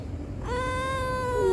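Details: Stray cat greeted in the morning answers with one long, steady meow that dips lower at the end, while someone speaks softly to it.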